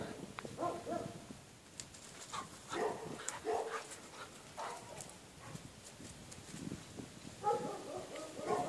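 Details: A Staffordshire Bull Terrier and a Bull Terrier puppy at play-fight: short, scattered yips and whiny yelps come in brief clusters separated by quieter scuffling pauses, with a louder flurry near the end.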